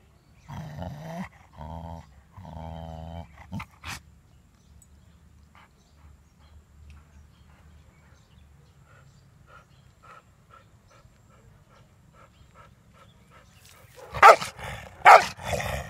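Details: Angry German Shepherd Tyson guards his ball, opening with three deep, rough growls in steady pulses, then a long quieter stretch with faint ticking, ending in two or three loud harsh barks.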